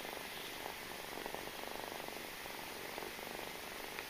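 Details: Continuous low pulsing purr from a kitten nursing on its mother, even and unbroken across the clip, over a faint steady background hiss.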